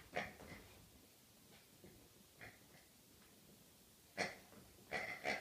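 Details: Rhodesian Ridgeback dog on a birthday, making short breathy snorts and wheezy grunts in scattered bursts, two near the start, one at mid-clip, then a louder cluster toward the end, with quiet background between.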